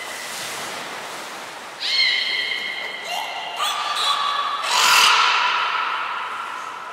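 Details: Beluga named Mirai or Niko during a training session at Port of Nagoya Public Aquarium, 20 February 2021; steady high whistles with stacked harmonics, a lower tone joining midway, then a brighter rising whistle near the end.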